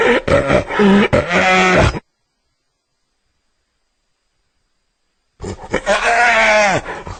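A hyena gives two harsh, groaning calls separated by a few seconds of silence.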